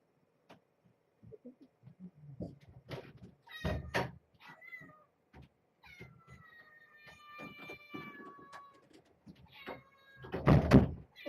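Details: Domestic cat mother with her kittens in a towel-covered box at bedtime, getting a snack: a short mew, then a long drawn-out meow with a slowly falling tone, among thumps, knocks and rustling.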